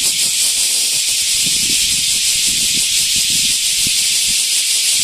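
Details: Aburazemi, the large brown cicada, recorded at Animal Land Nakayama on 10 August 2025, gives a steady harsh hissing drone concentrated high up, unbroken for the whole stretch, with soft low thumps beneath.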